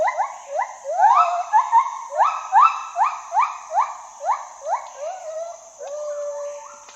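A gibbon calls in a rapid run of rising whoops, each note sweeping up and breaking off before the next. The series keeps a steady pulse, then eases into softer, flatter notes near the end.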